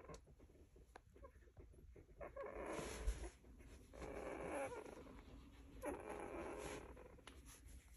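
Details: Golden Retriever puppies making soft, breathy snuffles and faint whimpers as they sleep, wriggle, twitch and snuggle.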